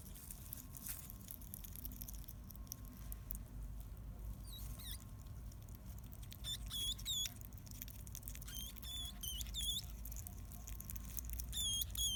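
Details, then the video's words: Seven-day-old baby hedgehog, the smallest of a litter of four born in a backpack, calling shrilly for its mother on a summer morning; thin, high squeaks rising and falling, in short bursts from about four seconds on, over steady low background hum. "生後７日目の鳴き声 ハリネズミ赤ちゃん"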